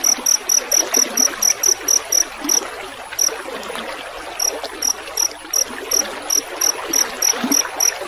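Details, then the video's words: Rice-field crickets used as a training recording for songbirds, with the sound of trickling water. Bright, very high chirps come in quick regular trains of about three per second, pause briefly near the third second, then resume. A steady water hiss runs underneath. "Masteran suara jangkrik"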